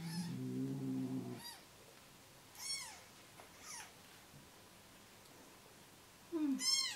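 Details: Hand-fed newborn rescue kittens, three days old and losing weight, cry in short sharp arched mews, scattered every second or so between quiet gaps. A low buzzing rumble opens the stretch, and a lower mew closes it.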